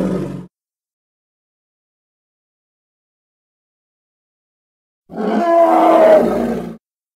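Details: Hippopotamus, labelled Congo, edited recording: a clipped harmonic groan at the start, a long silent gap, then one loud roaring call of about one and a half seconds with banded tones bending slightly downward.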